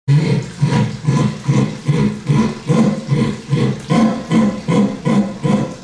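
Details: Jaguar esturro, its roar: a deep, rasping, sawing grunt repeated steadily about twice each second, each stroke hoarse and low-pitched, running on without pause for the whole stretch.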